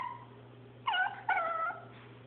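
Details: Chihuahua playing with a paper towel roll, recorded on an Android phone; two short high whining yips with clear rising and falling tones, over a steady low electrical hum.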